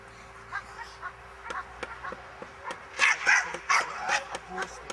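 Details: Miniature English bull terrier barking during a defence lesson: a quick cluster of loud, rough barks in the middle, preceded and followed by softer clicks and thuds.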